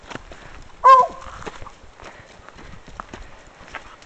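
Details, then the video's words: Bluetick Coonhound Pepper, a female, lets out one brief, tonal bark early on while following a scent during a hike. Rhythmic footfalls and light clicks continue afterward. "pepper barking at a scent"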